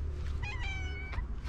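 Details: A hungry female tabby cat with a booming, guttural voice gives a drawn-out, throaty meow over a low background rumble.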